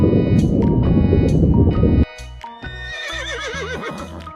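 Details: Zebra giving a loud, rough, noisy call lasting about two seconds, followed by steady background music with a melodic tune carrying on to the end.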